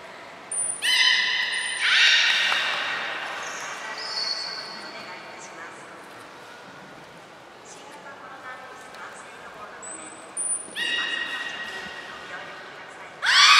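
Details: Belugas Gray, Nana and Nico during a training session at Port of Nagoya Public Aquarium, 30 May 2021: bright harmonic squeals in short bursts near the start and end, with high steady whistle tones and soft voices between.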